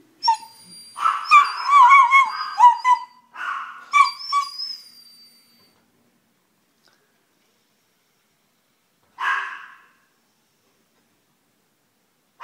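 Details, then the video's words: A male Italian Greyhound in Colombia cries in high, wavering whines because a miniature pinscher is barking at the main door, then falls quiet before one last brief whimper. "Italian Greyhound crying"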